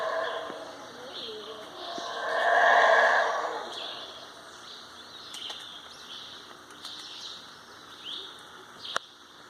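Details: A howler monkey at Chaa Creek, Belize, gives a single breathy, swelling roar that rises and fades over about two seconds.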